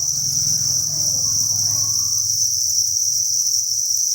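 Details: Inside a cricket farm, thousands of crickets sustain an even, high-pitched trilling chorus, with a low rumbling hum fading after the first two seconds.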